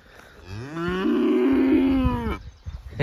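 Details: Calf at an animal sanctuary mooing in a meadow, unwilling to be separated from its mother's side; one long, loud, tonal moo rising then holding steady for almost two seconds before cutting off, with brief rustling afterward.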